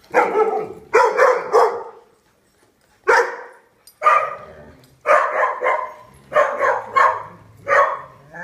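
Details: Dogs at a daycare barking in loud, harmonic bursts, with clusters of quick barks around the first and fifth seconds and single sharp barks in between, separated by short quiet gaps and a faint low hum.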